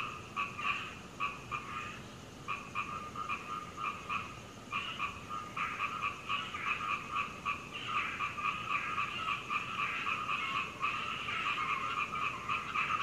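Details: Frog chorus lasting through the night to dawn at a home in Hunei, Kaohsiung, Taiwan, 21 May 2019, recorded from the second floor on a Canon PowerShot; short bursts of quick croaking pulses, stop-start at first, then building into a near-continuous chorus.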